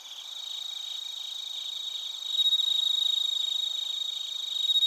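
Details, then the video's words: ['Bell crickets and other crickets recorded in Narita, Chiba, Japan, with a TASCAM Portacapture X8: a dense insect chorus of steady high ringing bands over rapid pulsed chirps, growing louder and more vigorous halfway through.'] "スズムシとコオロギの鳴き声 - Chirping of crickets"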